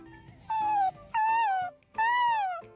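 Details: Dog whining played back from a popular social media reel said to make other dogs come to help a sick dog; three drawn-out, high, slightly falling whines, each under a second, with faint music underneath.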